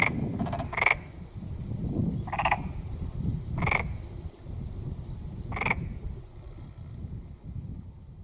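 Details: Four spaced rattling croaks from a black-spotted pond frog, separated by pauses of one to two seconds, above a constant low rumbling background that continues after the calls stop.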